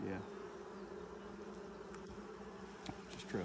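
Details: A steady, even drone of a honey bee colony, opened for its first inspection six days after nucs were installed in 2020. The buzz holds a low and a higher tone, with faint clicks and brief voices at the edges.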